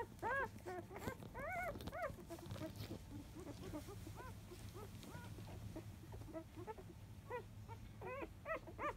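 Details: Labrador Retriever puppies, field line, aged five days at a morning nursing at 10 a.m.; short arched squeaks at the start and end, with a quieter stretch of soft rustling and suckling noise between.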